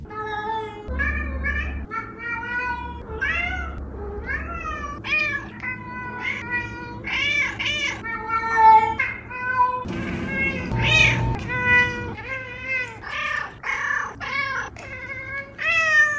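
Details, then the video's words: Two vocal pet cats meowing indoors, a near-continuous run of harmonic meows, some rising and falling, others short and clipped, overlapping at times, with a low steady hum beneath. "Living with 2 vocal cats!"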